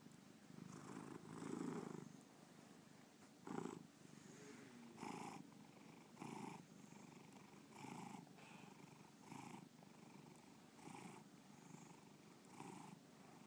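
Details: Bubba, a pet cat, purring indoors; a low, steady rumble swelling in soft pulses roughly every one to one and a half seconds, with brief louder breaths between.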